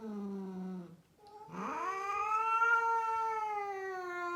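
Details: Female rescued cat in Mumbai, India, one of a group of rescued cats, gives a long drawn-out caterwaul: a low moan that breaks off, then a rising, sustained wailing yowl held for several seconds indoors.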